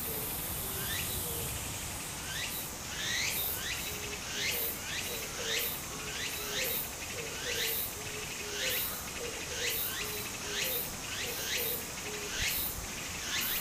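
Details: Summer cicada chorus by a small stream in Japan, sharp upswept pulses rising to a shrill hiss about once a second, with a low warbling note and the murmur of flowing water beneath.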